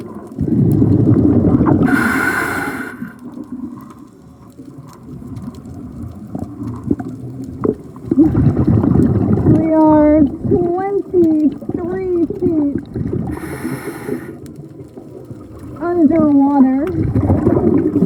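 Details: Male humpback whales singing underwater during breeding season, heard throughout a night dive, one loud singer a few hundred feet away; low moaning units with rising and falling harmonic sweeps around 10 to 17 seconds, bubble bursts from divers' breathing.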